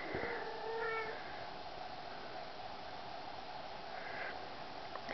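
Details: Young male kitten from the litter of Wildcatmagic Isabella and Tecspot Extreme Thrills makes a faint high meow at the start and a softer brief mew near the end, set against constant low room noise.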